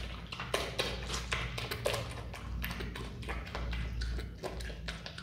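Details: Watermelon eaten by a pet Himalayan marmot: sharp, bright crunching bites at uneven intervals, with soft wet mouth sounds between them over a constant low hum.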